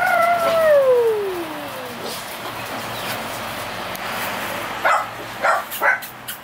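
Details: Male pocket American Bully from a Romanian kennel, son of Fanel and Cocutza, gives a long drawn whine that slides steadily downward over about two seconds, then falls quiet apart from a few soft scuffing thumps and low background hiss.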